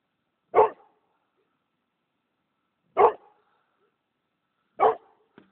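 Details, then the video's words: Kangal mix dog giving three clipped barks spaced roughly two to two and a half seconds apart, each a brief full-bodied burst, with a faint click at the end and otherwise a silent background. "kangal mischling"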